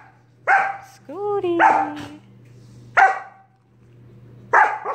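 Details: Sorbetto, a pet dog, harasses his big sister Biscotti by barking in her face during indoor play; abrupt single barks spaced about a second or more apart, plus a drawn-out falling whine, over a low hum.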